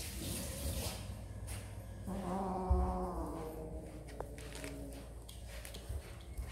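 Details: Kittens eating snacks, with steady crunching and clicking chewing noises throughout. One drawn-out, harmonic, meow-like cry rises out of the chewing for about a second midway, and a faint low rumble sits underneath.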